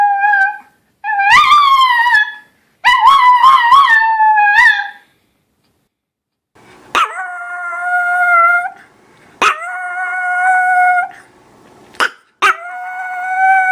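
A small dog, a Chihuahua, gives high, quavering howls that waver up and down in pitch. Later come longer, level drawn-out howls, each opened by a sharp click or knock.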